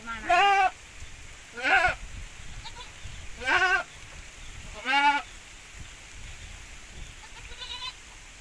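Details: Javanese goat crossed with Boer, bleating loudly four times at roughly one-and-a-half-second intervals, each call a short quavering nasal cry, followed by a fainter fifth bleat.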